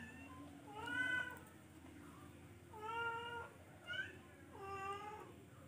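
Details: Repeated meows from a charcoal F1 cat, four quiet calls about one second apart, each a level or gently arching tone, over a constant low electrical hum.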